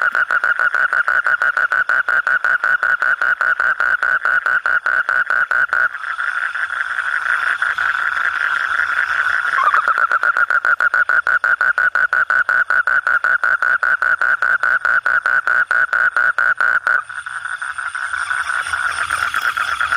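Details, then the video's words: A frog calling at night: a continuous, rapid, pulsed rattling croak, steady and mid-pitched, that runs unbroken for long stretches, with abrupt edits where the background briefly changes. "suara kodok/suara katak/suara bangkong"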